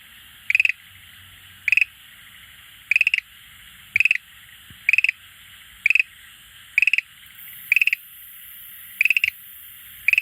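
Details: Schlegel's green tree frog calling beside an aquarium it visits each day; clicking pulse trains of three to four notes repeated about once a second, steady and regular, with faint low rumble beneath.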